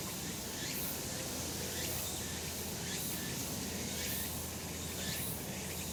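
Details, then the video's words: A sunny summer mountain with cicadas: a shimmering high buzz swelling in pulses roughly every second, slightly softer at the top, beneath a noticeable low-pitched outdoor rumble. "セミの鳴き声 夏の山 日なた"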